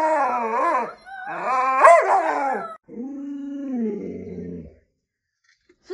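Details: Lolo the Alaskan Malamute seems to argue back at home. Loud, wavering yowls rise and fall, a second stronger burst follows, then a lower, steadier moan trails off into silence.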